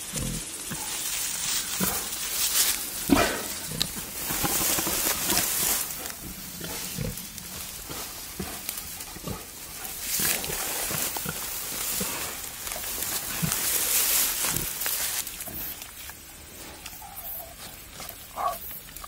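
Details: Male wild boar courting a wild sow outdoors, giving repeated short throaty grunts and snorts at irregular intervals, with crackling of leaves and footsteps mixed in.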